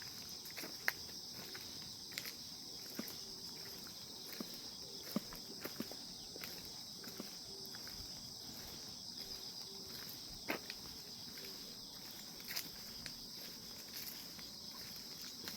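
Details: Calm morning chorus of grass insects, a continuous thin high-pitched ringing drone held without pause, broken only by irregular sharp clicks and light knocks nearby.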